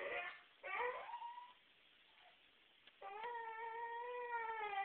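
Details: Whippet named Sammy, denied the trash can, gives a steady, sustained high whine lasting about two seconds after brief human voices at the start, recorded in a small indoor room.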